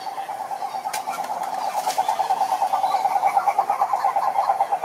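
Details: Toad calling with a steady, fast pulsed trill at a mid pitch, held without a break for the whole stretch and growing slightly louder toward the end, with faint scattered clicks above.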